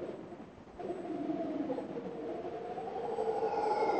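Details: Male howler monkey calling from the trees above a trail in Rincon de la Vieja National Park, Costa Rica, announcing his presence, recorded on a cell phone; a deep, droning roar that swells and grows louder through the clip.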